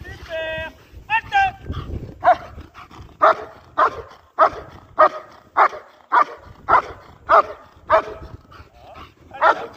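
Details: German Shepherd at IGP competition training opens with a high drawn-out whine and a yelp, then settles into a long even run of sharp barks, roughly one every half second.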